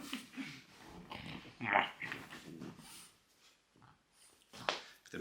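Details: Loki, a pet French Bulldog, making odd noises: breathy snorts and rough grunting bursts in short uneven runs, with a sharper burst near the middle and another close to the end, between quiet pauses.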